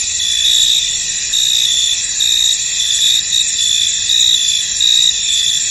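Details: Crickets in a misty field produce a piercing high ringing chorus, with clear repeated chirps standing out roughly every second above the dense insect drone.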